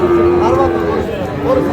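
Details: Sahiwal bull calf at Khochabari cattle market, Parbatipur, Dinajpur, 10 April; a steady, sustained lowing tone running through the whole moment, with men talking over it nearby.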